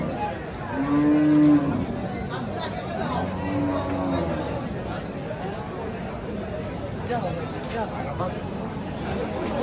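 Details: Cattle at a Saturday village cattle market in Bangladesh; a low drawn-out moo with steady tone early on and a second fainter lowing later, over constant crowd chatter and voices.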